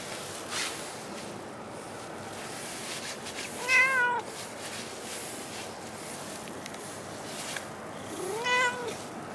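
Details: Cat at Dockyard Garden, December 2016, giving two clear meows roughly five seconds apart, each a short wavering, slightly falling tone with bright overtones, against a constant outdoor city hum.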